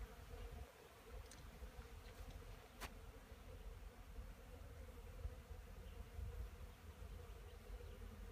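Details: Honey bees gathering pollen beside a wooden hive at an apiary, 10 March 2015, around nine in the morning at 12 degrees; continuous deep humming of many bees with one sharp click partway through.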